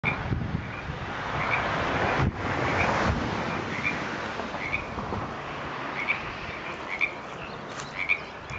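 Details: A frog croaking in Frog Hollow, Pleasant Hill, California, below Paso Nogal Road, on 30 January 2014, the first frog heard that year; short, high, clicky croaks come irregularly over steady broadband wind and passing-traffic rumble.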